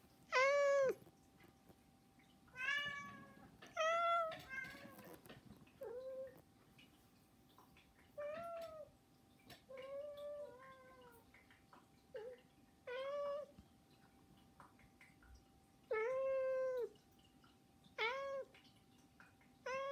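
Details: Three house cats, Saba, Hana and Mizore, beg noisily with repeated meows, about seventeen a minute, some short and clipped, others drawn out and bending downward, spaced irregularly indoors with a faint steady hum.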